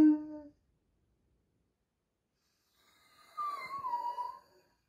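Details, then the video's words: A big Doberman, crying while its sister undergoes surgery, ends one wail abruptly, then after a long silence gives a single quieter, wavering moan of about a second that dips slightly in pitch before fading. "Big Doberman crying while sister in surgery"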